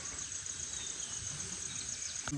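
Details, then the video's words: Crickets in dense forest land around a meditation ashram in Dang, still calling loudly at 11:10 in the morning: a steady, very high, pulsing trill that runs without a break, with faint voices and rustling below. "सुबह के 11:10 हो रहे हैं और इतनी ज़ोर से झिंगुर की अभी भी आवाज़ आ रही है।"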